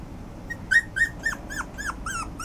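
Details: Toy Poodle and Yorkshire Terrier mix dog whimpering: a rapid string of about eight thin, high, downward-sliding whines, roughly four per second, over a low steady background hum.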